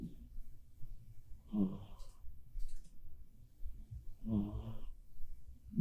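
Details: Bappuri, a black cat, snoring in its sleep indoors; two drawn-out, wheezing rasps about three seconds apart, each a low rumble with a hissy upper tone, and a soft start of another at the end.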